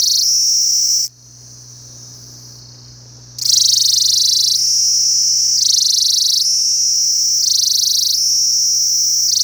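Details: Piercing high squeaks of a Kashmiri cicada, a seasonal sound marking autumn's beginning; after a brief drop to a quieter, lower buzz the strident trill returns, swinging between two pitches about every second and a half.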